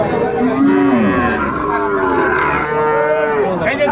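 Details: At the Ambari cattle market, among Sahiwal bull calves, 13 January 2025: short wavering moos that dip and rise, then a longer level lowing. Steady crowd murmur runs underneath.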